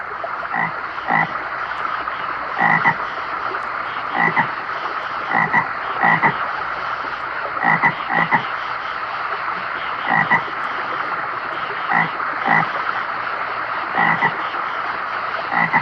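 Toads call with low, raspy croaks delivered in short pulsed bursts. The bursts come steadily, roughly one every second, over a faint background hiss.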